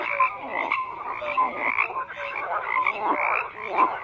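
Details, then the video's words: Crowded frog chorus of overlapping raspy croaks, with short clear whistled notes popping out every half second or so. "FROGS CROAKING"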